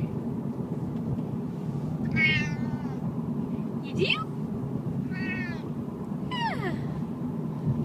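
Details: Siamese cat on a car ride, giving four short meows about a second apart, some rising and some falling, over steady low engine and road rumble inside the car.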